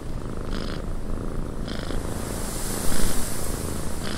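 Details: Cat purring in a windy cabin: a dense, low rumbling purr runs steadily under a constant hiss of wind, broken by brief brighter bursts near half a second, 1.7 seconds and at the very end.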